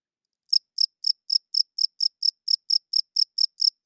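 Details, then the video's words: Cricket chirping loudly at night, male rubbing wings together to attract females and hold territory; crisp high pulses begin after half a second of silence, then repeat steadily about four per second over a clean, quiet background. "Cricket Chirping Sounds - Cricket klinkt 's nachts luid"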